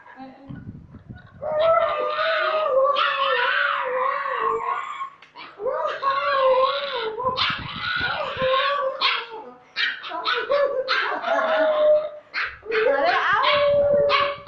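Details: A young white piebald woolly Siberian husky, previously very quiet, howls for the first time: wavering, drawn-out howls, each rising and bending in pitch over a few seconds.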